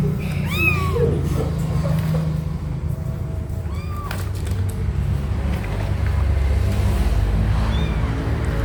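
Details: Mother cat, angry, carrying her kittens to a new spot. Two clear arched, wavering meows in the first second and another near four seconds, over a steady low hum and faint music.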